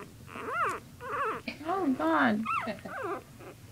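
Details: Playing puppies giving high, wavering whines and yelps in a quick string of short rising-and-falling cries, some sliding down into a low squeal near the end.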